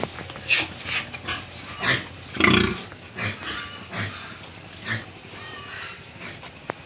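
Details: Pigs on a farm in Tripura, India, a few spaced grunts and one louder rough snort in the middle, with quieter background noise between calls.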